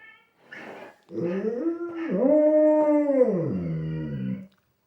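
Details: Pet Labrador howling wolf-like at dogs on television, starting with short whimpery notes, then rising into a long steady howl that holds its pitch before sliding down into a lower, fading tone.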